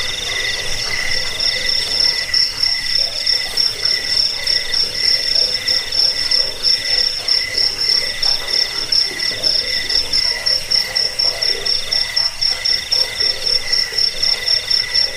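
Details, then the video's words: Cricket chorus used for driving off rats, lulling to sleep and training caged birds: a continuous high-pitched pulsing trill over softer, lower buzzing voices, keeping up an even, unbroken rhythm throughout. "Suara jangkik pengusir tikus pengantar tidur"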